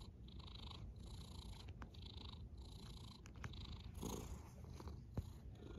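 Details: Cat snoring in a gentle low drone, with faint breathy swells rising and falling every second or so above the deep hum.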